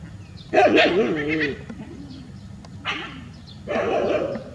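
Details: Village street dogs gathered in a big group, heard as three loud bursts of barking mixed with wavering whine-like yelps, separated by short quieter pauses with background murmur.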